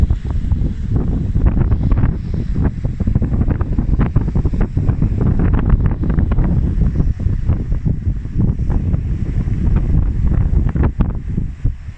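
Heavy wind buffeting the microphone with surf in the background, and no animal voices.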